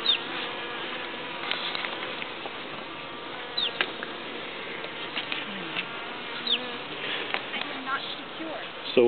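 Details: Honeybees of a package colony crowding around their new hive and pollen four hours after release: a dense, steady buzz of many wings with overlapping harmonic drone bands, broken by brief clicks and knocks of hive handling.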